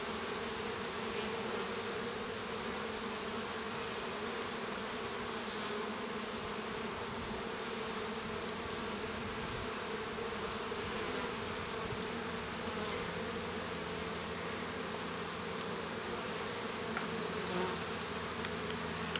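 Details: Baby honey bee hatching inside the hive, with the colony's steady droning hum throughout; broad buzzing with layered low tones and a few faint clicks toward the end.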